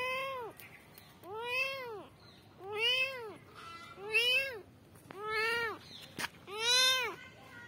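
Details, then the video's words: Kittens meowing for their mother: six arched, harmonic-rich mews spaced about a second apart, each rising then falling in pitch, with a brief click between calls in a quiet indoor setting. "kittens meowing for mom"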